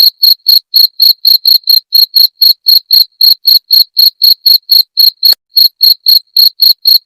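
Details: Chirping cricket (jangkrik genggong), its sound said to scare off rats; bright, piercing pulses follow one another roughly four each second, slightly uneven in spacing, with a short click near the end and nothing else audible.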